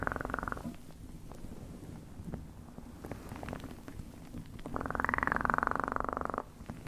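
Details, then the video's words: Purring cat for ASMR: a soft low rumble with rapid pulsing, brief buzzy bursts at the start and a stronger, brighter purr phrase near the end, with light clicks between. "1 Hour Of Best PURRING sounds"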